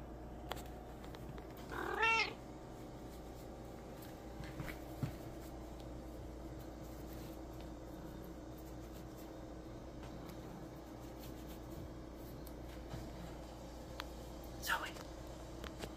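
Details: A calico cat on a shelf lets out one brief, strained meow over a low, steady background hum.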